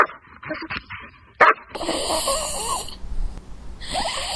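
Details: Puppies playing with toys on green grass outdoors give one abrupt, high yap, then a run of reedy, rising-and-falling whimpers, with a steady background hiss and more squeaky cries breaking in near the end.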